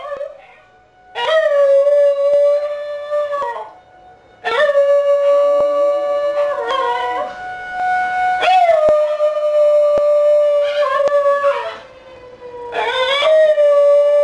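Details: Singing along with a weekly Friday tornado siren test, the pet basenji Bru lets out a series of drawn-out howls, each rising at the start and held level for a couple of seconds, separated by short pauses, siren droning beneath.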